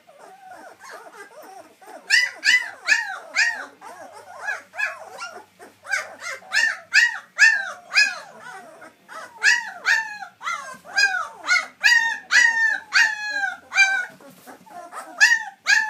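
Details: White German Shepherd puppies, just starting to sit up and walk, whimpering and yipping: a rapid series of high, arching whines with rich harmonics, coming in irregular bursts, with faint talking in the background.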